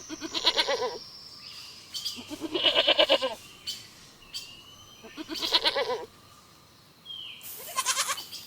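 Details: Goat bleating on a farm: four loud, quavering bleats, each about a second long and spaced roughly two to three seconds apart, with faint whistled tones between them.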